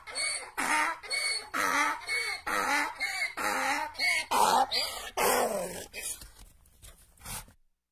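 A donkey brays in loud, harsh bursts, a rapid see-sawing hee-haw that gradually fades out.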